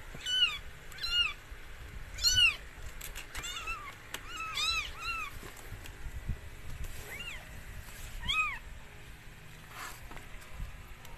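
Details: Mikey, a rescued stray cat, giving birth to four same-coloured kittens: a string of high, bent meows, several in quick pairs, then scattered single cries with quiet pauses between them.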